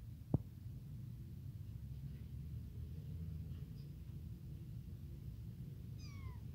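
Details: Newly abandoned tiny kitten calling for its mother and hungry for milk gives one short, high, falling meow near the end, after a sharp click, with a constant low hum throughout.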